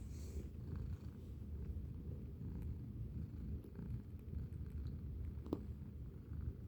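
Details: Chaotic, playful pet kitty purring close up: a continuous deep rumbling purr pulsing steadily throughout, with faint household background.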